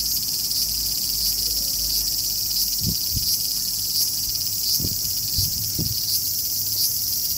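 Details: Steady, shrill, frying-pan sizzle of a large brown cicada in summer, continuous for the whole stretch, with a few dull low thumps heard in the second half.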